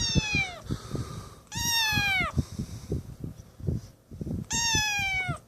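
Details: Three loud, long, plaintive meows, each sliding downward in pitch, from Snowball, an abandoned, malnourished kitten newly rescued from the street, while held and near another cat, Tiger; low thumps and a person talking fill the gaps.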